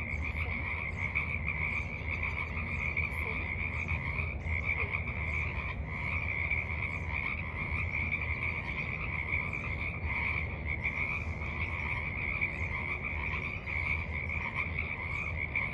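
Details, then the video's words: Evening frogs at the edge of a forest pond, March 28, 2023, croaking together as a steady wall of quick, buzzy pulsed trills, unchanging in pitch, backed by low-pitched ambient rumble. "Evening Frogs Croak in the Mud"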